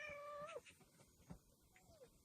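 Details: Yard cat among stray cats being fed at a home, greeted after a long outing: one drawn-out meow, steady then falling at the end, then a fainter short falling meow, with soft background noise.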